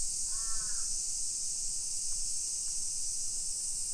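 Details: Cicadas droning through a summer afternoon, 1 PM on 28 July 2021, in a hillside neighbourhood of Nisshin near Nagoya, Japan: a steady shrill hiss underneath one harsh crow caw early on, plus faint low background hum.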